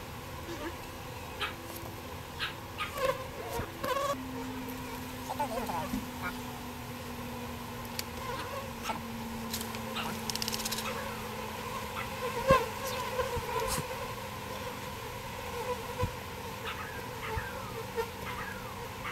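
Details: A birdhouse colony of bees being transferred into a bee box makes a continuous buzzing hum. A low steady drone runs underneath, with occasional clicks and taps from the work.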